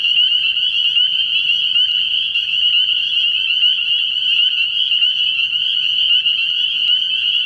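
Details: A clean, steady chorus of spring peepers from an early-year night frog pond: very high, bright peeps overlap into a constant trill-like shimmer with little else heard.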